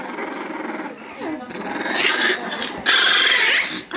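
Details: Staffordshire bull terrier puppies at three weeks old, giving thin, high squealing whines that rise and waver near the end, after a stretch of lower, murmuring sound that may be a human voice.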